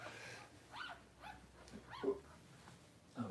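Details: Newborn Cavalier King Charles Spaniel puppies in a September 2022 litter, giving a few faint, thin arched squeals spaced irregularly, each rising then falling, over a quiet low indoor hum.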